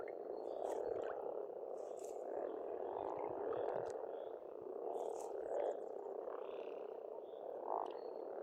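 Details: Croaking frogs in chorus at a pond in Estonia during spring, a steady buzzing wall of overlapping calls rising in louder surges, accompanied by light twittering birdsong in the background.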